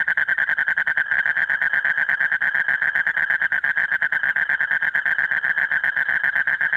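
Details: Asian common toad male calling his mate late at night during the breeding season, repeating without pause: one loud, rapid, rattling trill of evenly spaced buzzy pulses running through the whole stretch.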